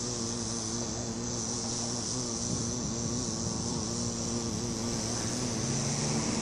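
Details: Unbroken droning hum from a bee on a flower, a low buzzy tone with rich overtones that wavers slightly in pitch, with faint steady hiss behind.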